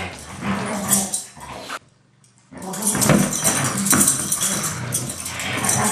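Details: Two Siberian Huskies named Taiga and Blade in rough daily play, not fighting: loud throaty growls and snarls, a sudden near-silent gap, then a dense run of growling and scuffling.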